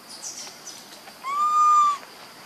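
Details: Baby monkey named Leo, missing its mother and hungry for milk, gives one sustained whistle-like cry of under a second, steady in pitch with clear overtones, after a few softer, fainter squeaks.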